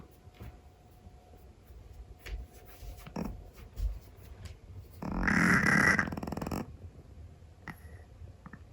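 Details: Sleeping Scottish Fold cat indoors gives one loud, coarse, fluttering snore lasting about a second and a half, after a stretch of soft breathing and small clicks in a quiet room.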